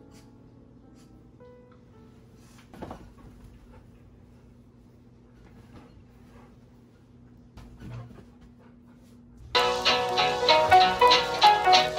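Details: A low steady hum with a few faint knocks and rustles, then bright instrumental music starts in the last few seconds.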